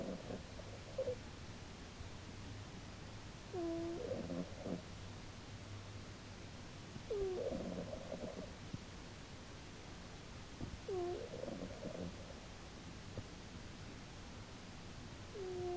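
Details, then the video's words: Sleeping house cat Earle, female, snoring in March 2010: breathy rattling snores with thin whistled inhalations, recurring about every three to four seconds over a low steady background hum. "My snoring cat, Earle"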